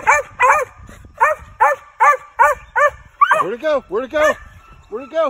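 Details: Lightly started male Original Mountain Cur squirrel dog in training, barking rapidly in a quick run of even barks, then a few lower, drawn-out, falling barks with short gaps between them.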